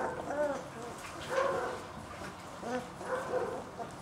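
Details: Two-week-old German Shepherd puppy Vonziu's Aragon Solo, out of Videx Willow by Hassan Rafaye, making soft short whining squeaks, a few wavering cries spaced about a second apart against quiet background noise.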